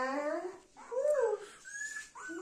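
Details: Golden Retriever family: little Dona with her mother Anna and grandmother, indoors; drawn-out, tonal, wavering whines that rise and fall, with soft human baby-talk murmuring in between.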